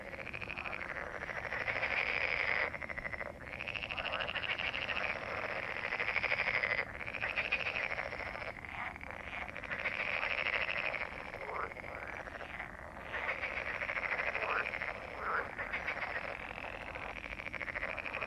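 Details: Massed frog croaking: dense, pulsing rattles rise and fall in surging bursts of several seconds, separated by short breaks, with many animals calling at once.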